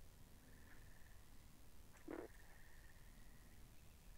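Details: Pond frogs in a binaural recording: a faint steady trill runs through most of the moment, and a single short, low croak stands out near the middle over a murky low hum.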